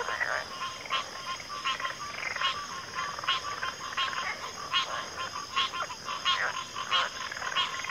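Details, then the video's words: Pig frogs and water frogs calling together in a backwater chorus, short croaks repeated about ninety times a minute at uneven intervals over a continuous high-pitched drone. "FROGS - Pig Frogs, Water Frogs, Backwater Chorus, & Frog Chorus"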